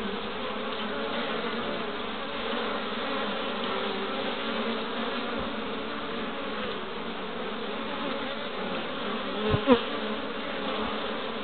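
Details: Many honey bees crowd a hive entrance in Pembrokeshire, west Wales, in March, bringing in pollen of three colours; continuous layered droning hum with a couple of soft knocks near the end.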